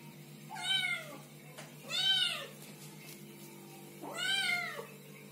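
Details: Small kittens meowing and talking, three bending meows, each falling at the end, spaced about one and a half seconds apart above a low constant hum.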